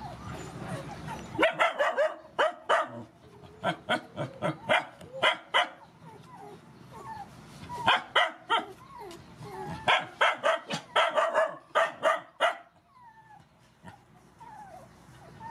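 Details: Rescued mother dogs and puppies being fed; rapid bursts of overlapping barks and yips in quick runs, with high whining puppy-like squeals threaded between, then fading to scattered whimpers at the end.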